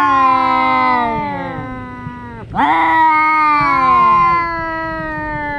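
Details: Two brother house cats in one of their daily fights, giving a sustained, nasal, wailing yowl that dips sharply midway. A second overlapping wail then joins, and the voices tangle as they slowly fall.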